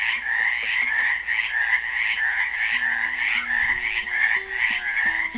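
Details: Many frogs trapped in a Helix, Oregon pool on Earth Day 2016 keep up a loud pulsing croak chorus, while soft plucked classical guitar notes enter quietly beneath them partway through.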